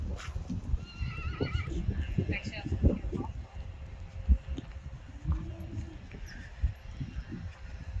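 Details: Friesian horse at a Dutch stable, one of 25 Friesians kept there, giving a brief quavering whinny with a wavering, vibrato-like tone early on, followed by low thuds and rustling; Dutch speech is heard throughout.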